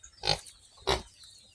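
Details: Piglets of a new sow on a farm, giving two short, harsh squeals about half a second apart, each a brief broadband burst, with quiet background between them.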